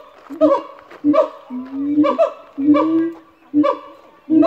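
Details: Three captive siamangs at a zoo in Australia calling to establish territory: loud rhythmic barking whoops repeated roughly every second, alternating with long drawn-out lower booming notes, harmonics stacked high.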